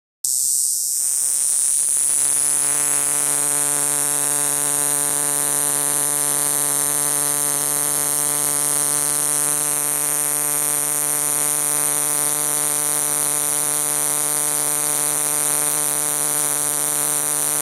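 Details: A cicada in Tucson sings a loud, steady, unbroken buzz that holds the same pitch throughout.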